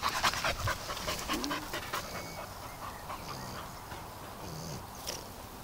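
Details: Dog panting on a walk after refusing to keep going; quick, breathy puffs repeated about twice a second, fading after a louder start, with faint outdoor background and a person urging it along afterward.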